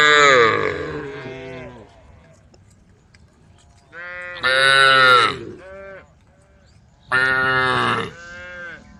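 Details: Cows calling the herd while wandering a dusty country road in a mixed brown, white and black herd. Moos of varying loudness overlap. Two strong, bright calls stand out in the middle and near the end.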